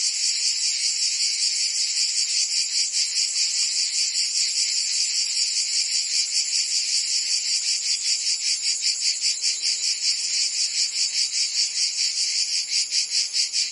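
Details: Cicadas singing in summer in Provence, France: a dense, shrill buzzing chorus that throbs steadily about two or three times per second, with no other sounds.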